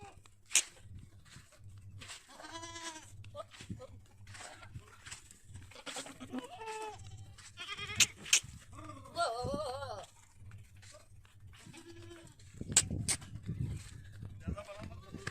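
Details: Goats at a farm in a village near Pushkar, Ajmer, Rajasthan, India, bleating repeatedly: several wavering, nasal bleats from different animals spread across the recording, with sharp clicks and knocks, a steady low hum underneath, and faint voices.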